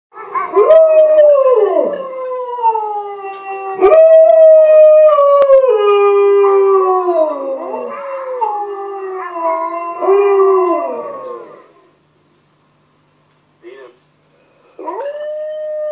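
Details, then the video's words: A male Alaskan Malamute howls back at a recording of his own howling, in long, wavering, sliding tones that rise and fall between breaths. "Alaskan Malamute Howls to Himself! Double Trouble Malamutes"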